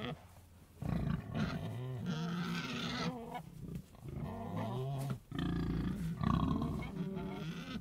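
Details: A pig grunts almost continuously in rough, throaty, harmonic bursts. The calls waver in pitch, with a short break around the fifth second.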